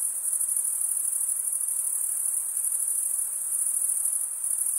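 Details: Crickets chirping in a seamless high, tinkling trill, the rapid pulses blurring into one steady ringing tone, constant in loudness and alone against light background hiss.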